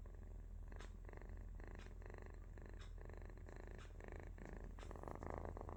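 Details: Baby cat sleeping, making a deep buzzing snore-purr in short pulsing bursts, breaths rising and falling quickly, with faint clicks over the steady low hum.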